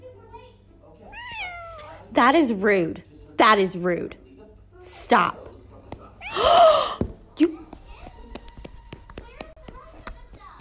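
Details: A domestic cat indoors gives a rising whine and then two drawn-out, wavering meows with strong harmonics, each about a second long. Harsh noisy bursts and a human voice follow in a small room.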